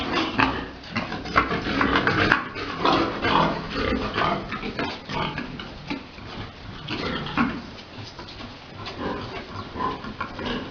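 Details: Farm pigs at breeding time as a large boar mounts a sow; harsh, broadband grunting and short squeals come roughly once a second, uneven in loudness, against steady barn noise.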